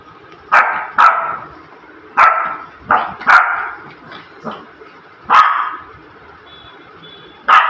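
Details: A male Shih Tzu puppy gives sharp, high, playful yappy barks in irregular bursts, some in quick pairs.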